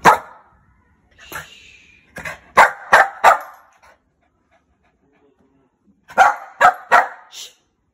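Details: Angry barking from a one-year-old female Shih Tzu: sharp, loud barks in quick bursts, one at the start, a rapid run of four near the middle, then another tight cluster of four after a silent pause.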